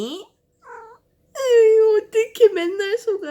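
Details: Pet cat indoors, scolding its owner whenever she sneezes but not when she coughs. Brief faint sounds open the recording, then a drawn-out nasal mew followed by rapid wavering 'eng-eng-eng' complaints in a small room.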